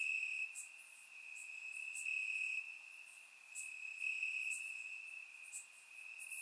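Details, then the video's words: Summer night grass in Bulgaria filled with chirping crickets, a sustained high trill that rises and falls in intensity every couple of seconds, accompanied by brief piercing insect notes higher up; recorded in surround sound. "Cricket Sounds - Crickets Chirping at Night"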